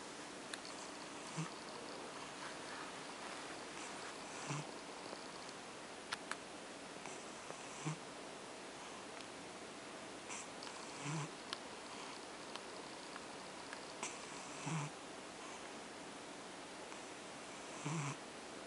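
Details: Female cat named OCD Cat purring indoors while being petted to sleep; soft low rumbling swells recur about every three seconds over a steady background hiss, with light rustling from the petting hand.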